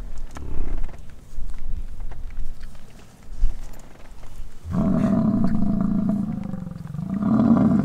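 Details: An American bison bull on Durham Ranch in Wright, Wyoming gives a deep, drawn-out, lion-like rutting roar after several seconds of quieter rumbling during the bison rut.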